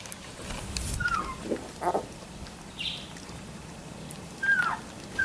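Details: Labrador Retriever puppies three weeks old give brief, thin, whistled squeaks that slide downward, spaced a few seconds apart, between soft rustling and a short breathy snuffle.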